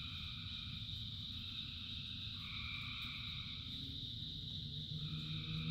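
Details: Thousands of frogs singing in rain: a high trilling chorus whose bands shift pitch partway through, joined near the end by deeper, drawn-out croaks, all over the constant patter of rainfall.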